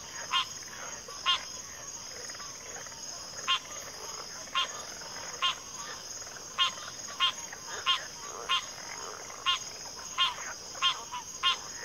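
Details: Frogs in a backwater chorus giving brief, crisp clicking croaks at uneven intervals, about one or two per second, above a continuous shrill insect buzz.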